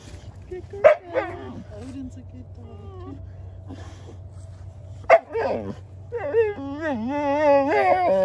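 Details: Dogs Odin the German Shepherd and little Bella teaming up to harass Samson the Boxer: sharp barks near the start and middle, then a long wavering high whine, with low background hum throughout.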